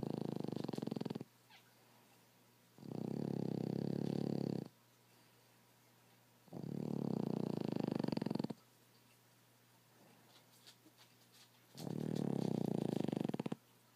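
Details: Sleeping rescue Boston Terrier/French Bulldog mix named Reggie snoring loudly: four long, harsh, rumbling breaths, each near two seconds, repeating roughly every four seconds with near silence between, low hum in the room.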